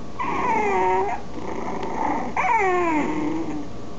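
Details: Puppies giving long wavering whines, two main cries each about a second, the second starting high and sliding steadily down in pitch, against a low steady hum.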